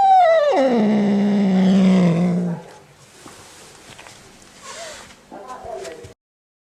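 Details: Domestic cat making a strange sound: a single loud yowl sliding steeply downward into a low, rough, growling tone for about two seconds, followed by quiet with faint rustling and soft handling noises.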